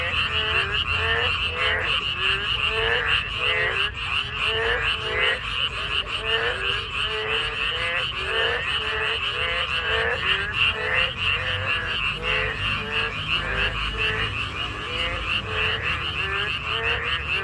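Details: Narrow-mouthed toads and frogs in chorus, heard on a walk: dense repeated croaks, roughly three per second, layered over a constant buzzy trilling backdrop.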